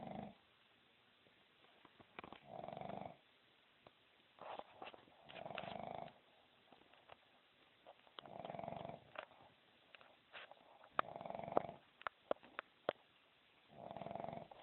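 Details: A sleeping dog snores steadily. Rasping, buzzy breaths come roughly every two to three seconds, with faint clicks and rustles between them.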